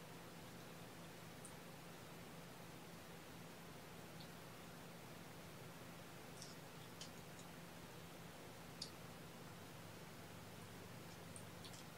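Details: Quiet indoor room tone with a steady low hum and a few faint scattered ticks, with no animal voice.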